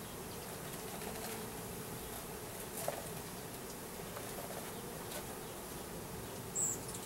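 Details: A 3-pound package of about 10,000 Russian/Carniolan hybrid honey bees with one queen, installed in a new hive in April 2012. A steady, dense, even hum continues throughout, with one faint brief higher tone near the end.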